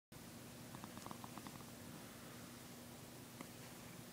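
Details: Domestic cat yawning and purring at the same time indoors: a steady low, even purr runs throughout, with a few short faint higher sounds early on.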